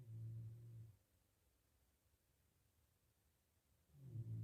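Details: A healthy pig, well fed and sleeping in its pigsty, snores deeply. Two low, droning snores come about three seconds apart, each lasting close to a second.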